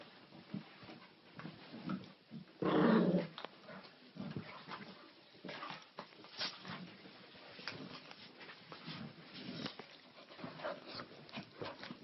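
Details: Maltese male and Bulldog female best buds playing rough, he chewing and jumping on her; one loud sustained growl early on, then softer snuffles, whines and scuffling noises.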